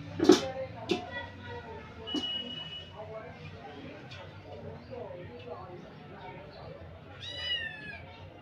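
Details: Playful kittens in a playpen, one of three kittens; a single bright, wavering mew near the end follows soft clicks and knocks, with low human talk running underneath.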